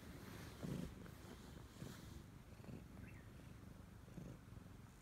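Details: A Siamese cat attached to its owner purrs in a soft, low rumble with a slight breathy rasp; faint background hiss and a brief high squeak are also heard.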